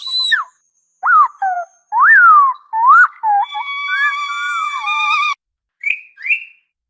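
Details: Orca giving a run of frequency-modulated whistles: short rising-then-falling sweeps repeated with brief gaps, then a long steady tone carrying wavering overtones, ending in two short upward chirps.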